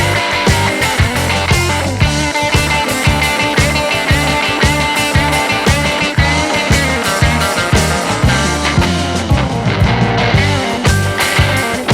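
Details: Loud rock music with driving guitar and a steady beat fills the recording, with no animal sound.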